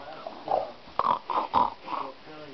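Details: Great Dane male grunting while getting belly rubs: a series of short, low, rough grunts about every half second, with a person's voice nearby.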